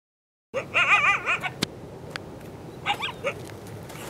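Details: Two coyotes from a pack of about five or six, near their den, give wavering, high-pitched howls breaking into yips at observers, apparently to lure them away; after a pause, a shorter run of rising yelps with a sharp click.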